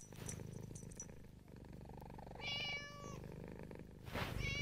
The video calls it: Siamese cat meowing